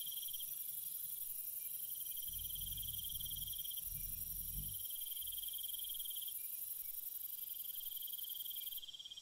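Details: Crickets chirp through a peaceful night, with repeated high trill bursts of about two seconds, short breaks between them and a continuous shrill background drone; a low rumbling noise swells midway and fades.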